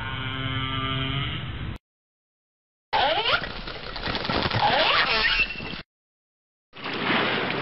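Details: Harmonic whale moans first, then after a silent break a hissing underwater section full of looping, rising and falling tonal sweeps, ending in a short burst of broadband noise.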